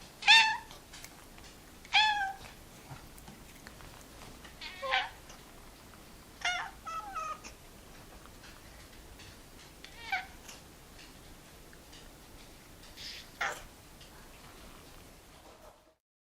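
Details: Quieter domestic cat meows, short and chirpy, come in a loose series of about six calls spread across the recording, with soft background noise between them.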